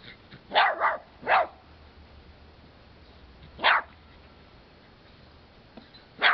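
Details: Pet dog, one of two, playing around a red-eared slider turtle and barking to get its attention; several sharp, broadband barks in quick bursts near the start, then single barks at wide intervals over a quiet background.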